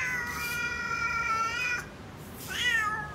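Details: A cat meows twice: a long, steady, whining meow of nearly two seconds, then a shorter one that rises and falls, in a quiet setting.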